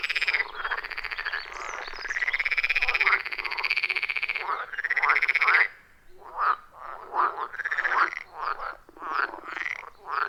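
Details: Wild frogs calling from a deep-forest pond, captured with an iPhone 14 Pro and Shure MV88+: long grating croaks with rising sweeps dominate early, then break into shorter, choppy rhythmic calls.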